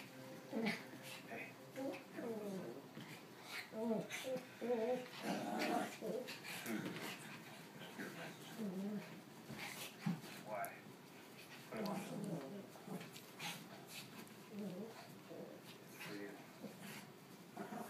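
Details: Three dogs play fighting on the North Jersey Shore, a red, a white and a black dog named Moe, Larry and Curly; bursts of growling and whimpering come in irregular flurries, mixed with steady human talking indoors.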